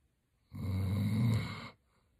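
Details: Single drawn-out rumbling snore, a bit over a second long, from Roxy the German Shepherd as she sleeps.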